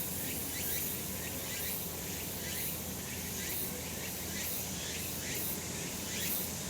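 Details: Cicadas calling on a sunny summer mountain: a dense, unbroken shrill chorus with rhythmic pulsing bursts repeating about once a second, over a steady low rumble of background noise.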